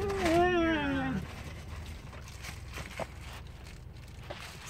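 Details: Maggie, a pet dog, voicing a wavering, falling whine on seeing squirrels, lasting about a second, followed by quiet outdoor background with faint clicks.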